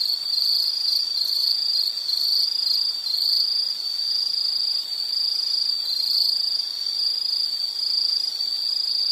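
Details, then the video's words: Shrill insect trilling, continuous, with brief brighter bursts early and midway. Faint high buzzing lies above it and no other animals or noises intrude. "Sound · Nature Sound of nature sounds scenery L · insect"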